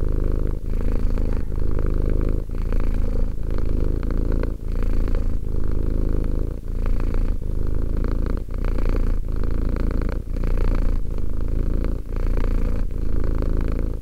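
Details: Contented-sounding steady purr of a two-year-old pet cat, deep buzzing rumble pulsing in regular breath cycles with short breaks about once a second, in a quiet room.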